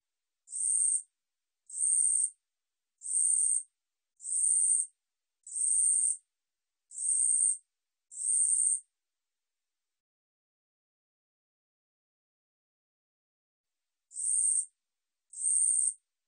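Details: Insect song of the katydid 우리여치, National Institute of Biological Resources recording, 2020: a run of seven steady, high rasping buzzes roughly every 1.2 seconds, a pause of several seconds, then two more. Clean, quiet background.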